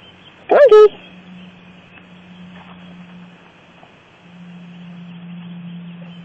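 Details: A pet cat outdoors, said to like rolling in sand and getting dirty like a dog, gives one short loud wailing meow that rises then falls, followed by quiet background hum and a man talking.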